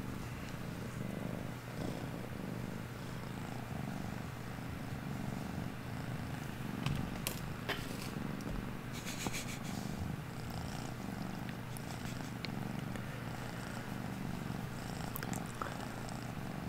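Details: Veeya, a house cat seeking affection and being scratched indoors during a live stream, purrs in a long, even, low rumble, broken by a few sharp clicks and taps.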